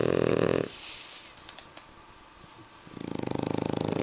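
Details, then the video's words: French Bulldogs Suna and Annibal snoring: a rough, buzzing breath ends, a quiet gap follows, then another harsh rattling snore begins. "Bulldog Frances:suna y annibal roncando"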